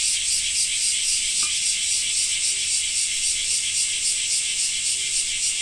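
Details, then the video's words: Cicadas singing in a Japanese summer, with rain: a dense, high, shimmering buzz that pulses rapidly and evenly, several throbs per second, steady in loudness throughout, with no other clear sounds. "Japan Rain Sound 5of2 - Cicada 2"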